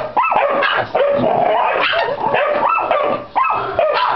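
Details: Short, shrill barks and whiny yips from a Pit Bull x Yorkshire Terrier cross, packed closely together with rising, strained tones between them.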